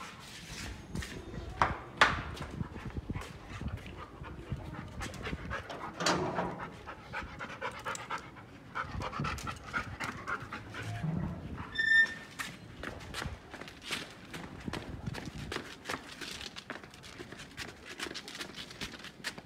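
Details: Labrador Retriever during a morning walk, breathing in quick uneven pants with louder gasps now and then, a brief tonal beep near the middle.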